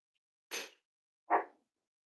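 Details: Cavalier King Charles Spaniel at Red Barn Cavaliers on a chilly Thursday morning, giving two short, sharp indoor barks about three-quarters of a second apart, the second higher and more tonal, with quiet around them.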